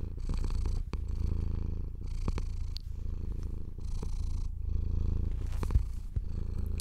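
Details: Domestic cat purring as a hand strokes its fur, a deep continuous rumble beneath soft brushing swishes that come in bursts about every one and a half seconds, with a few faint clicks.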